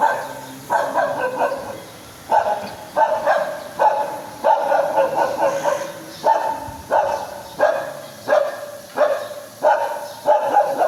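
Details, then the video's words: High-pitched, annoying dog barks repeated steadily, roughly one or two every second, each sharp onset fading quickly, continuing without letup. "Very annoying dog sound!"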